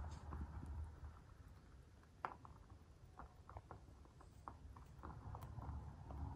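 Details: Crunchy mouth sounds of a white mini lop rabbit of dwarf breed eating food indoors, sharp crackling bites repeated rapidly and unevenly, with a faint low rumble beneath.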